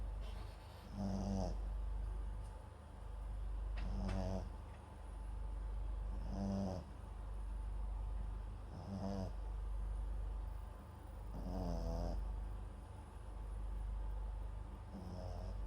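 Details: Papillon × Japanese Chin mix dog Max sleeping at home, microphone set beside him; six evenly spaced, deep, buzzy snores arrive roughly every two and a half seconds, with quiet breathing between them.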